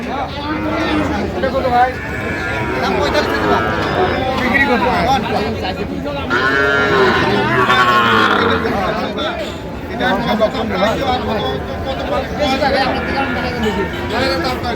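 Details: Young Sahiwal bull at a livestock market in Manikganj, Bangladesh, on 26 January, being sold to a farmer: drawn-out, harmonic lowing moos in the middle, surrounded by loud bargaining voices and crowd chatter.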